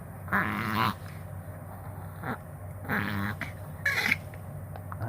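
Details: Chihuahua in a vet-confirmed reverse-sneezing episode: short, harsh snorting inhalations in three spaced bursts, one ending with a squeaky note, while an owner speaks briefly.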